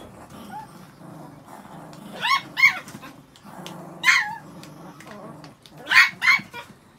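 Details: Pet Chihuahuas, six dogs, just after being shampooed; pairs of short, high, bending yelps sound three times over a low murmuring background.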